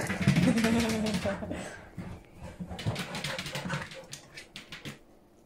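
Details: Faith and Bella, a mother and daughter Siberian Husky pair, playing together: an opening drawn-out, tonal, wavering grumble, then rapid choppy growling sounds that fade toward the end.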